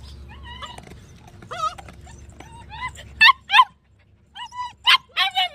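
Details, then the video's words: German Shepherd dog giving thin, whining yips that rise and fall, then louder sharp, clipped barks in pairs and short bursts, separated by brief silences, over a faint low hum. "gsd barking sound"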